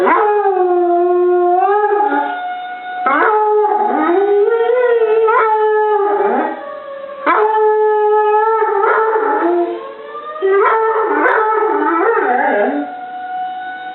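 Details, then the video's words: Molly, a pet dog, howls along with a tornado siren. Her long, wavering howls rise and fall in bending tones and come in repeated bouts with short breaks. The siren's steady, even tones run underneath. "Molly vs. Tornado Siren"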